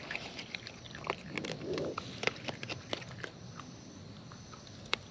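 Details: Wild raccoons eating close up, their chewing giving sharp, irregular clicks and crunches scattered through the moment, with a soft, brief rustling swell near the middle over a quiet outdoor background.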